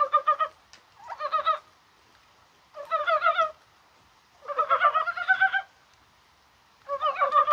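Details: Korean brown frogs calling on a spring-like, rainy 21 January, perhaps while spawning; rapid pulsed, clucking croaks in bursts of half a second to a second, returning about every two seconds, with several callers overlapping.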